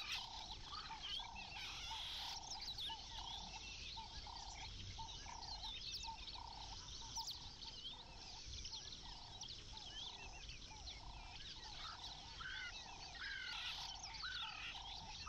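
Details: Zoo dwarf mongooses give steady, rapid peeping calls while tearing through crinkling holiday gift-wrap with mealworm treats hidden inside.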